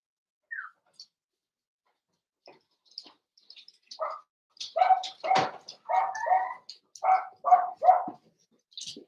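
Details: Blenheim Cavalier King Charles Spaniel puppies, a litter of five born on New Year's, indoors in a home puppy pen; a high squeak, scattered soft ticks, then a run of short yappy barks in the second half.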